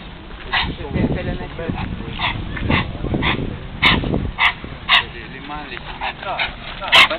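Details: A Rhodesian Ridgeback and a berger podal at happy play, with a few small mishaps. Human talking runs through the first half, then a quick series of sharp yips and short barks, ending in one louder yelp.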